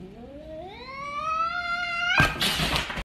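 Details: A domestic cat, reacting to a cat-shaped balloon, gives a rising, drawn-out yowl, then breaks into a harsh, breathy hiss.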